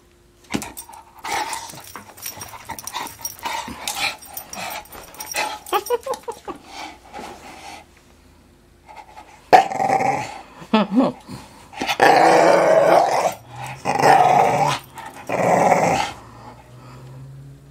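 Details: Young English Staffordshire Bull Terrier undecided about playing ball: scattered snorts, scuffles and short grunts at first, then long loud rasping growls in several bursts of about one to two seconds each.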